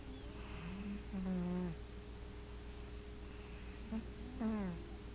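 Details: Tomcat dozing on his favorite chair, snoring away: a low droning snore early on, then a shorter falling one about three seconds later, soft breaths between, quiet indoor background.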